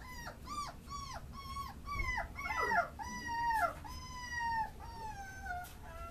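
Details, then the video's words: Tricolour beagle puppies, a litter offered for sale, vaccinated and dewormed; many overlapping high whining yelps, each dropping in pitch, crowding the first seconds, then longer drawn-out descending whines. "Beagle Hembra 3. Cachorros tricolores"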